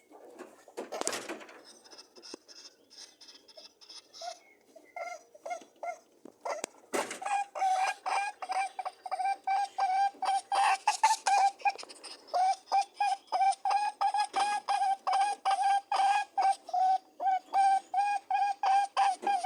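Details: During rabbit mating, scattered grunts and rustles give way to a long, steady train of rapid buzzing honks, nearly three per second, continuing to the end.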